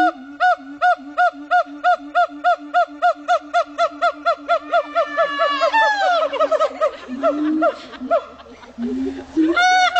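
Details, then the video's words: Siamang at Dubbo zoo, New South Wales, giving a howling bout: loud evenly spaced hoots nearly three per second over a low drone, accelerating into sweeping rising whoops, then low booms and a final loud hoot. "siamang monkey's howling"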